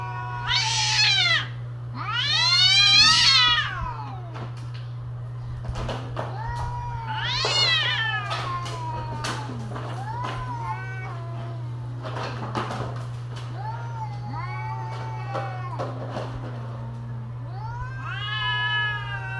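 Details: Cats during mating season trading loud, high yowls: strident rising-falling wails in bursts, the loudest early on, then lower moaning calls and short clicks, a steady low hum throughout.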